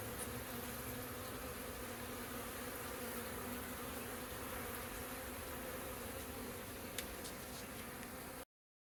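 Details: Steady droning buzz from many busy honey bees at a hive in April 2024, with a few faint clicks near the end before the sound stops abruptly.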